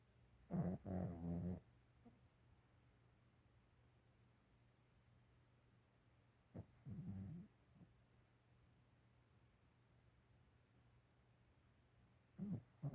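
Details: A sleeping dog snoring: low, rough, rumbling snore bursts about a second long, arriving roughly every six seconds with near silence between them.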